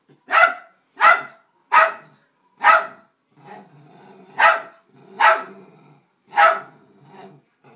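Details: Pet Dachshund barking at a vacuum cleaner indoors: seven sharp, loud barks, the first four in quick succession about a second apart, then a pause with softer low yips before three more barks.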